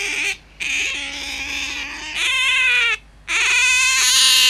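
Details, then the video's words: Pet otter, a hand-raised animal kept at home, calling insistently: long, high, buzzy squeals held for about a second each, broken by two short silences, with a steady harmonic whine throughout. "Усатая пискля или Выдра вместо будильника"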